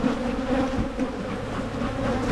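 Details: Honey bees at a Michigan hive opened for splitting to curb swarming: a dense, steady droning hum with a wavering low pitch and buzzy overtones, no pauses, a keeper working close by.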